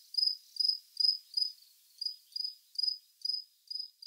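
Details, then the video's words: Cricket chirping: short, high, clean chirps repeated steadily about twice a second, each a brief bright burst with a fainter higher overtone. Background otherwise quiet. "This is the sound of a Cricket"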